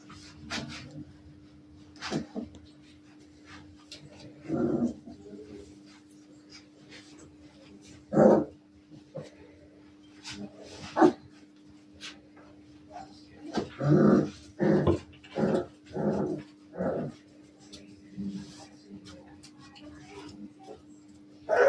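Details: Maremma Sheepdog puppies at play, giving short scattered yips and barks, a quick run of several sharp yelps near the end, with a steady low hum beneath and a few faint voices.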